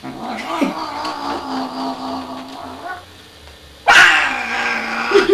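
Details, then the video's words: Grumpy domestic cat being held and hugged, giving a long low sustained growling moan that wavers, then a sudden louder yowling caterwaul rising sharply; a person's voice briefly heard. "World's Grumpiest Cat"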